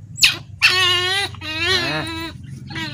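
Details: Molla, a hand-raised baby otter never yet released in water to catch its own fish, stands and screams as it is about to be fed fish: loud, harsh, harmonic shrieks in three bursts, the longest about half a second, with a low background hum.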